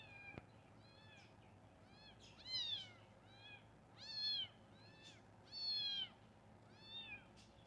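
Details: Kitten calls out in repeated short arched meows, about five clear mews rising and falling, the loudest three spaced roughly every one and a half seconds, with a faint low background hum indoors.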